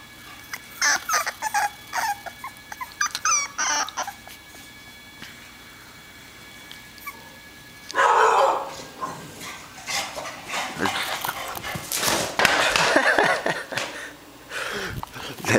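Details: Bella, an adult female English Bulldog and mother of four male puppies, going crazy at the neighbor's dogs indoors: quick sharp barks and yips in bursts over the first four seconds, then louder rough barking and yelps with household noise.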